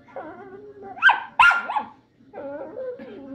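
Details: Angry pet Chihuahua, described as calm one minute and angry the next, makes whining growls and two sharp yips as her owner offers food, with a man talking and faint music.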